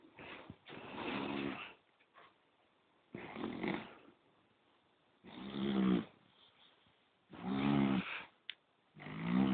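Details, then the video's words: Sleeping poodle giving long, loud, rattling snores, five drawn-out breaths about two seconds apart, each with a deep buzzing vibration and brief silence between. "Храп пуделя"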